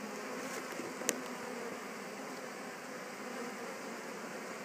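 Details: Western honey bees just returned to a Warre hive after swarming, settling in at the entrance; a steady, dense buzzing hum fills the whole recording, with one sharp click near the first second.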